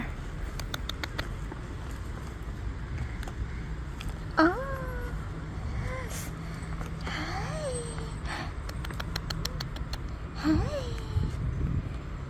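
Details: Portuguese coastal strays, rescued and abandoned cats and kittens being fed, give three drawn-out bending meows spaced several seconds apart, against steady wind, traffic-like rumble and clicking sounds.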